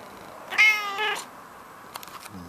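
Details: Domestic cat greeting with a hello: one clear, tonal meow about half a second long that swells and then fades, followed by quiet room noise and a faint click.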